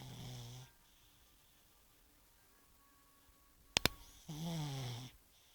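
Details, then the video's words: Bosya the pug snoring: two loud, rough, harmonic snore breaths separated by a long quiet gap, with two sharp clicks just before the second breath. "Мопс Бося храпит"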